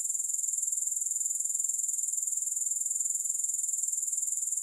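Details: Grasshoppers keep up an unbroken, shrill, finely pulsed trill, very high-pitched and even in loudness throughout, with no music or other sounds.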